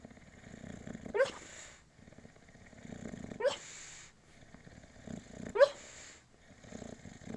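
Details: Dreaming bulldog Moses, said to love orange road cones; three sharp rising yips roughly every two seconds between low rumbling snores.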